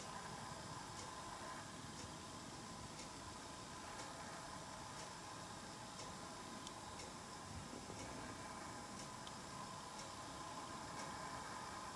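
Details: Steady indoor hiss and hum with a faint ticking repeated roughly every second, and no animal voice.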